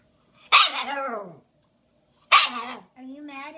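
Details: Nearly five-month-old Shiba Inu puppy Bowie, a female given a giant bone for Valentine's Day 2016: two loud, rasping barks about two seconds apart, each sliding into a lower voiced tail, the second followed by a short harmonic yowl.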